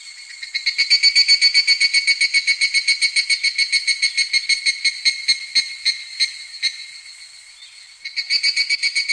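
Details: An evening cicada sings in midsummer, a rapid, ringing series of high pulses that fades, pauses, then starts again.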